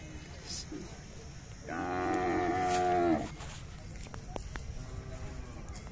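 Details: Young Khillar bull offered for sale at the Athani fair in Belagavi district: one loud, drawn-out harmonic moo lasting about a second and a half, rising slightly in strength before cutting off, amid faint fairground chatter.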